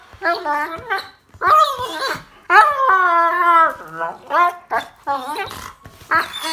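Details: A happy Rottweiler puppy makes bursts of whiny, moaning "talking" grumbles that bend up and down in pitch, in short uneven phrases about one per second with brief pauses.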